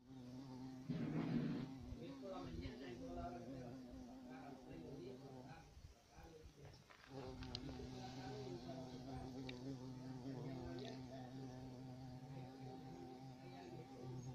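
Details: Low humming drone of a European carpenter bee, loud at first, dropping away for about a second midway, then returning as a steady buzz with fluctuating overtones.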